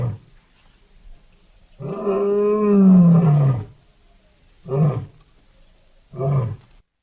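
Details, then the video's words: Wild lion roaring loudly: one long deep moaning roar sliding downward, followed by two short grunting bursts. "Som de leões rugindo alto,lion roaring loud"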